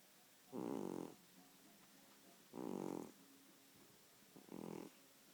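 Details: Snoring domestic cat gives three throaty, vibrating snores spaced about two seconds apart. The last is shorter and weaker, and the room is otherwise quiet.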